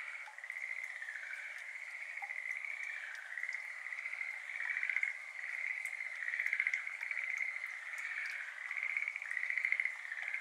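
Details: Schlegel's green tree frogs, endemic to Japan, heard across a flooded iris garden on the evening of 17 May 2022 at 6:53 pm, binaural ambisonic recording; an unbroken, distant chorus of fine pulsed trills with a gentle wavering rhythm.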